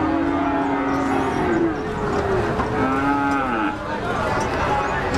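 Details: Cows giving sustained, droning moos, one long low call sliding downward followed by another steadier one, amid a busy background murmur of people.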